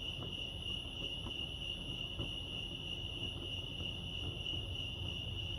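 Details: A constant, shrill, evenly pulsed cricket trill fills the night-style ambience at Lake Arrowhead, California, never pausing, with a dull low murmur and scattered soft clicks underneath.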